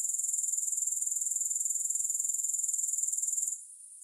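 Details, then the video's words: Grasshoppers heard without music, sounding a rapid, evenly pulsed high-pitched rasp for about three and a half seconds before the sound suddenly falls away to near quiet. "3 Hours of Grass Hopper Sounds"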